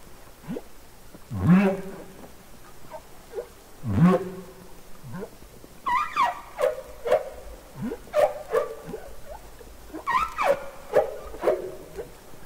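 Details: Humpback whales singing underwater, from Capitol Records ST-620: two deep, rising whoops open the passage, then a run of short, high, downward-gliding squeaks and chirps follows in quick succession.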